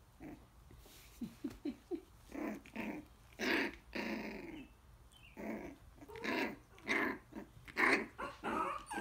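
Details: Coton de Tulear puppies almost four weeks old playing and biting in a pen with their mother nearby; short growls, yips and grunts in quick irregular bursts, with scuffling between them.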